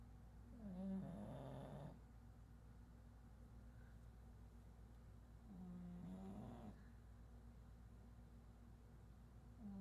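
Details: Pug dog snoring while asleep, known as chato: slow rhythmic snores about every five seconds, each a low buzzing rumble with a rising whistly overtone, separated by quiet breathing pauses; steady low hum in the background.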